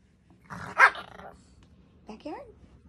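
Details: Chihuahuas at home bark in separation anxiety, set off by the sight of shoes when their human seems to be leaving; one harsh loud burst, then two short high yips rising and falling, with a person talking softly.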